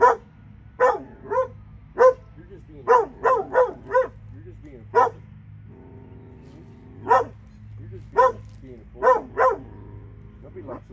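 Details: Two Alabama dogs bark repeatedly in short bursts of two to four barks, pausing briefly between volleys, while quiet speech and a low droning hum continue underneath.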